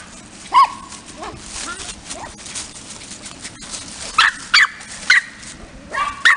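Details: Small kennel dogs in Aquitaine, France, letting out short, sharp high yips in scattered bursts, several close together near the end, over a low murmur of background voices.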